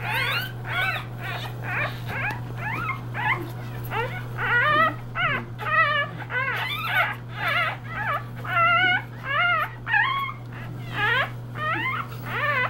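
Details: A litter of 3-day-old English Bulldog puppies squeaks and whines, calling for their mother and seeking her affection.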